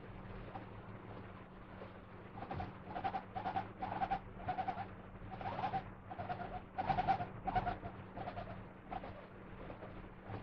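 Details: A guinea pig in a good mood, lying in its favourite bed, chatters contentedly in soft, rounded, repeated hoyo-hoyo notes over a steady low hum.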